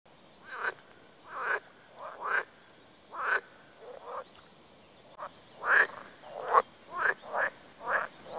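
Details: Frogs in Lithuania, at a remote spot away from people. Short, rasping croaks come in a loose series, roughly one per second, some louder and some fainter, against a quiet background.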